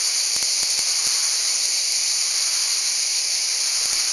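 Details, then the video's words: Italian cicadas of the Val Trebbia producing a constant, intense high buzzing chorus, even in loudness throughout, with a few faint clicks. "cicale in valtrebbia"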